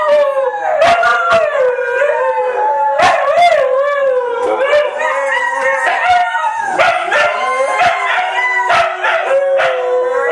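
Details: A howling sing-along by three white huskies: overlapping wavering howls with pitch swoops, punctuated again and again by quick yips and short barks.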